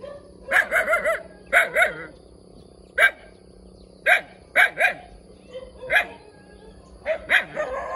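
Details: Puppy barking in quick groups of two or three bright, high-pitched yaps, with short gaps between the bursts and faint background hum.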